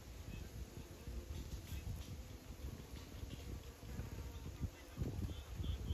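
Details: Bees buzzing in a low, steady drone with fluctuating loudness, scattered soft clicks and rustles, and a faint high whine in the background.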